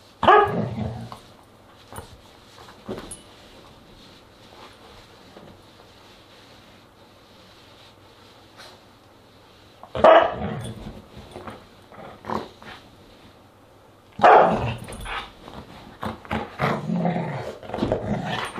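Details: Siberian Husky during a dinner party, August 10, 2022, barking in scattered bouts: a burst at the start, another around ten seconds, then a longer run of rough barks over the last few seconds, with long quiet gaps.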